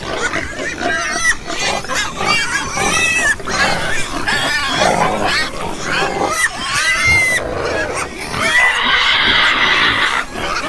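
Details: Loud, shrill squealing from a group of pigs, with sharply bending, wavering notes repeated in quick succession and a dense, noisy squeal near the end.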